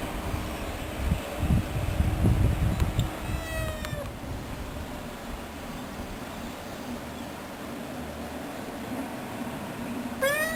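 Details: A domestic cat meows once near the middle and once more at the end; both calls bend upward then down. Low rumbling and handling noise fill the first seconds.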